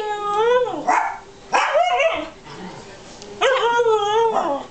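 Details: Three-and-a-half-month-old Alaskan husky vocalizing indoors: three drawn, wobbling whine-moans with rich overtones, each about a second long, separated by short gaps, with a person speaking softly in between.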